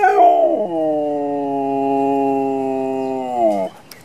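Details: Pet dog giving one long howl: it opens with a higher, sliding note, drops, then holds a steady, rich tone for about three seconds before breaking off. Quiet otherwise.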